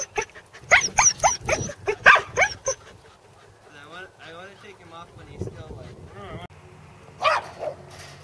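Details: A Corgi gives a rapid run of sharp, high barks, followed by a person's voice, during its second attempt at herding sheep at Island Crossing Farm in Arlington on 27 March 2011.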